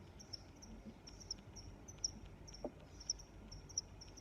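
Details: Cricket chirps come as short high-pitched pulsed bursts repeated about every half second, with a few sharp clicks standing out over a quiet, low hiss.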